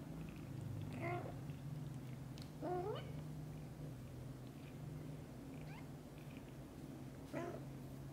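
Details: Kittens calling to their mother cat to come play outside right after waking; several short rising-falling high mews spaced a second or two apart over a continuous low purring hum.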